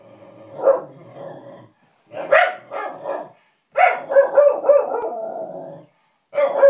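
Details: Lulu the dog, annoyed by a puppet, gives a few growly barks with short rumbling stretches between them, then pauses before a final bark.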